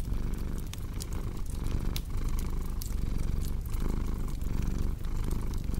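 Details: Cat's rumbling purr, dense and low, rising and falling in short rhythmic cycles while a log fire crackles with bright snaps.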